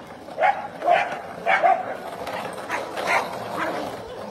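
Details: Dog giving a handful of clipped barks in the first half, then softer, more muffled yaps over a constant hiss of background noise.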